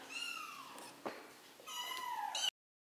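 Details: Three-week-old kittens learning to walk; two clear, high, drawn-out mews, each sliding downward in pitch, separated by a short pause and a soft knock.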